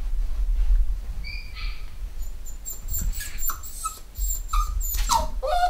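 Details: Home-bred black Cockapoo puppies, eight weeks old, from a new litter of boys and girls at a UK breeder. A few short, high whimpers and yips, some sliding downward, over a low room hum.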